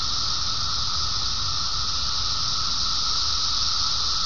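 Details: A steady chorus of cicadas, shrill and buzzing without pause, the high hiss never changing in pitch or loudness, with low-frequency rumble underneath.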